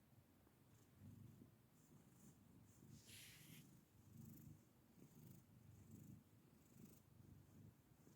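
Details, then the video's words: Black domestic cat making soft, low, rumbling pulses that repeat roughly every half second to second, a steady purr-like throb, with a brief faint hiss of background noise midway. "Cute Black Cat Makes Weird Noises"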